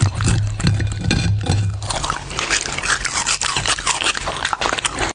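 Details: Dog eating, close ASMR recording: a brief low humming tone at the start, then rapid irregular crunching bites, about two or three per second.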